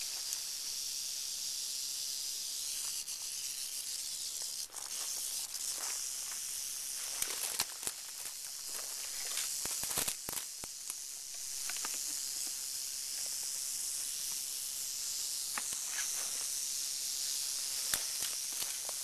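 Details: Crotalus oreganus, the northern Pacific rattlesnake, producing a continuous high-pitched dry buzz throughout, with scattered clicks and rustling knocks layered over it.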